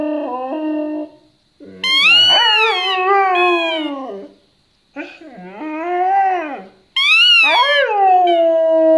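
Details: Max, an 11-month-old Siberian Husky in Jordan, howls while playing with his toy in drawn-out, wavering bouts that rise sharply, then slide down.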